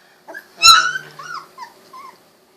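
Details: Young Golden Retriever puppy, 16 days old with recently opened eyes, moving about; one sudden loud, bright yelp followed by a few faint, short whimpers trailing off in near silence.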